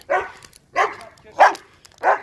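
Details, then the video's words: Pet dog barking at a fire: four short, sharp, harmonically rich barks spaced roughly two-thirds of a second apart, each clipped and evenly loud, with quiet gaps between them and no other clear sounds. "an annoying dog barking at it"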